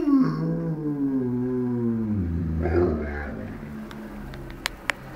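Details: German Shepherd in a funny reaction gives a drawn-out, slowly falling howl that fades into a shorter moan, followed by a few sharp clicks and taps.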